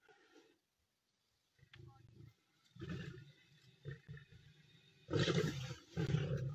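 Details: Three lionesses at a riverside meal in the Masai Mara confront an approaching Nile crocodile trying to steal their food; rough low growls build into two loud snarling bursts near the end, with softer rumbles before.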